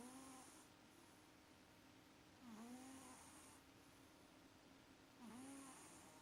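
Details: Pet cat Maxi snoring in deep sleep, each breath a soft rasp with a squeaky whistling edge, repeated steadily about every two and a half seconds, hissy exhale between.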